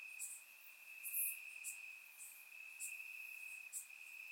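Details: Warm summer night in Bulgaria with crickets in the grass: an unbroken thin high trill and several short bright chirps spaced irregularly across a few seconds.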